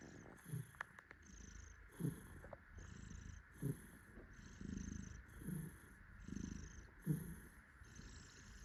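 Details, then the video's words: Tuxedo cat purring happily while cuddled by its owner; a quieter, softer rumbling purr rises and falls in slow breath cycles, with a few faint clicks and handling noises. "Happy cat purrs while daddy cuddles it. パパに抱っこされて、嬉しみのゴロゴロ音。"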